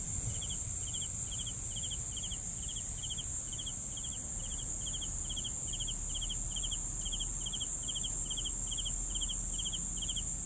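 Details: Crickets chirping steadily: short trilled pulses about two per second, with a continuous high shrill buzz from other insects and low background rumble underneath.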